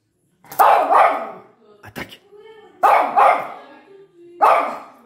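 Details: A pinscher gives sharp, loud single barks, spaced a second or two apart, after hearing a small noise; the owner thinks he may be barking at a cat.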